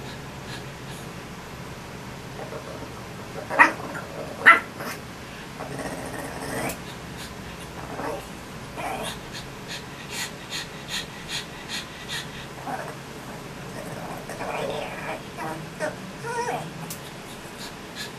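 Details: A pet dog named BB, impatient and calling his mother to dry his fur, makes strange noises: irregular grumbling and whining, two sharp louder yelps early on, then a long run of short breathy bursts, indoors.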